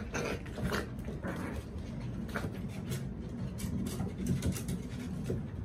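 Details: Puppy playing on a deck: rough, breathy growling and huffing bursts come in quick succession over a steady low rumble, with no clear barks.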